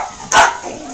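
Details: Pet dog, one of a household group including Rumor, Scandal and Chance, gathered while Rumor plays with a singing, shaking toy ball; a single short, sharp bark bursts out, with faint background noise around it.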